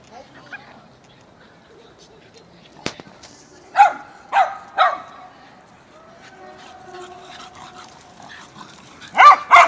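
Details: Dogs barking in Mazovia in 2021: after a quiet start with a sharp click, three barks come in fast succession, faint tonal sounds follow, and two more barks close the recording.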